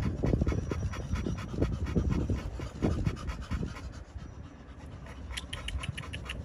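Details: Rapid panting from pocket American Bully males at a kennel in Romania, quick breathy puffs roughly three per second, irregular, with low rumbling movement noise and a few faint high clicks near the end.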